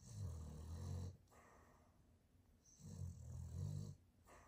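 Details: Boston terrier asleep and snoring: two deep, rattling snores about a second long each, separated by a quiet breath in between, low-pitched rumbling indoors.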